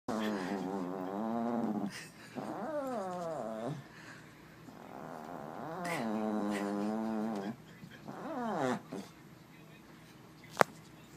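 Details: A dog making a funny noise when air is blown lightly into its face: long, low, wavering moaning growls, some rising and falling in quick swoops, repeated about four times, with a sharp click near the end.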